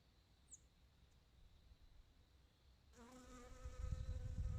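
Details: A western honey bee (Apis mellifera) collecting nectar and pollen gives a steady, droning wing buzz that starts abruptly after a quiet stretch.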